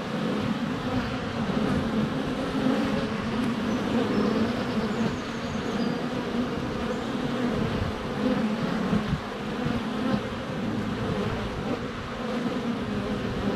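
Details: Continuous buzzing of many honey bees flying at the hive entrance, sunny February day, GoPro Hero 7 Black set less than a foot away; steady droning hum with swells and small bumps, perhaps bees landing on the camera.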